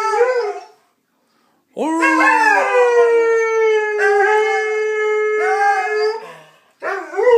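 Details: Steve, a pet Saluki, singing: a brief howl fades out, then after a second of silence a long rising howl settles into a steady held note for about four seconds, ending as another howl begins.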